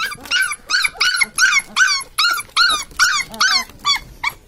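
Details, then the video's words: Newborn Labrador Retriever puppies squealing: a rapid series of about ten loud, high, bent whining cries, each under half a second, repeated roughly every half second with overlapping voices. "New Born Labrador Puppies!"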